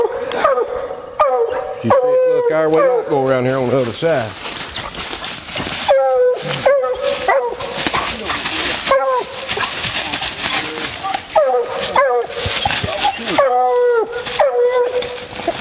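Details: Female Bluetick Coonhound coon hunting, mixing barks, yips and wavering howls in an irregular sequence, overlaid by noisy rustling, handling sounds and human speech.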